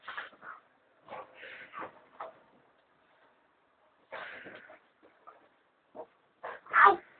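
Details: American Staffordshire Terrier, a pet indoors, objecting to its owners lying in bed: clusters of yowling, grumbling whines and moans separated by silent pauses, ending in a louder, strained howl-like whine.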